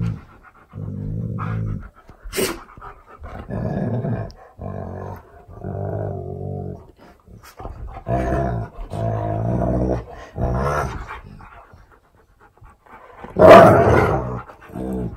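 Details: Siberian Husky K'eyush, surprised by his best friend on his birthday, indoors, giving a run of drawn-out low moaning 'talking' vocalizations about a second each with short pauses, ending in a louder, higher excited cry.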